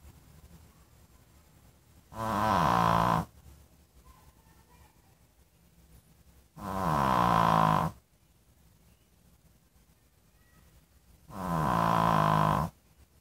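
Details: A dog snores rhythmically: three evenly spaced, rattling, nasal snores, each about a second long, arrive roughly every four and a half seconds in a quiet room.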